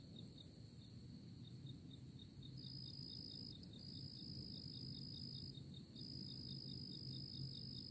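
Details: Early April cricket chorus: a steady, high, continuous trill runs beneath a rapid series of regular high chirps, with soft low background rumble.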